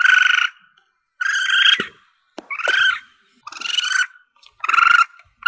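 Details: Asian palm civet young, sound meant for hunters calling in targets. Five close-spaced, raspy, pulsed cries, some bending in pitch, each about half a second, with sharp clicks between them.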